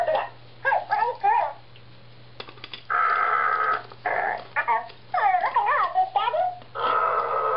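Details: Husky named Diesel at play with a talking ball toy, producing quick yips and warbling whines that dip and climb, broken by a few longer, flatter noisy bursts, with a low steady hum beneath throughout.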